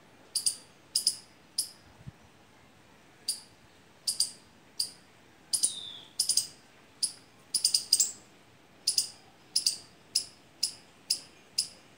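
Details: A squirrel drawn to mango and litchi trees in fruit calls steadily with crisp, high, clicking chips, some in quick pairs or triplets, nearly twenty in a row, against soft ambient noise.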